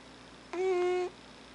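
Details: Sleeping alpha cat Thames gives one steady, tonal, half-second moan with rich harmonics in a quiet indoor room.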